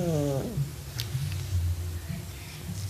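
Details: Sleeping cat snoring; low, rough rumbling breaths with a steady droning tone, preceded by a brief higher harmonic sound at the start.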